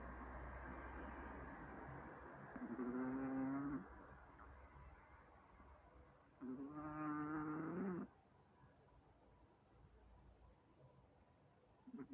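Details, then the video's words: Zaika, a sleeping Chihuahua, snores: two drawn-out, nasal snores about four seconds apart, each roughly a second long with a thin whistling edge, over a steady low background hum. "Чихуахуа Зайка спит ХРАПИТ"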